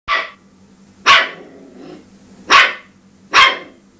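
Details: Cairn Terrier at home, barking while attacking a dishwasher: four sharp, high, explosive barks spaced about a second apart, with a faint steady appliance hum underneath.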